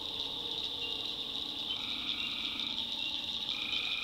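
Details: A night chorus of tree frogs in a North Carolina swamp forms a continuous shrill wall of sound, with several lower sustained notes dropping in and out.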